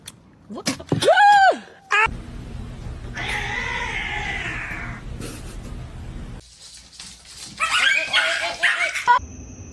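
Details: Pet cat lets out one loud, drawn-out yowl that arcs up and falls away, then a quieter strained moan under a steady background hum, with excited human voices near the end.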